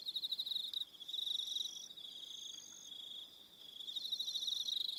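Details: On Aroha Island in New Zealand, evening crickets keep up a high buzzing trill made of fast regular pulses, with short higher whistled notes overlaying it and a brief dip in loudness midway.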